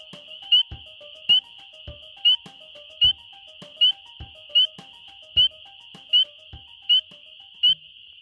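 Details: A spring peeper (Pseudacris crucifer), probably a male, gives its mating call up close: loud, sharp, rising peeps about once a second over a steady chorus of more peepers.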